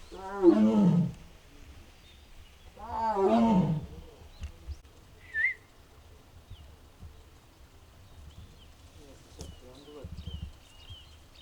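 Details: Strange sounds from Mugung, a six-year-old captive tiger at Bonghwa's Tiger Forest, possibly unwell, on an April 2026 afternoon: two loud, throaty, groaning calls about three seconds apart, then quiet with small birds twittering.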